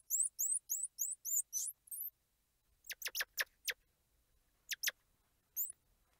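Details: Squirrel monkey chirping: a quick run of about seven high, rising, whistled chirps in two seconds, then a burst of sharp clicking notes and a few scattered high chirps over a quiet background.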